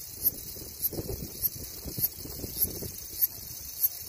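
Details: Cicada song: a steady high buzzing hiss with sharp clicking pulses roughly every 0.6 seconds, over low rumbling background noise.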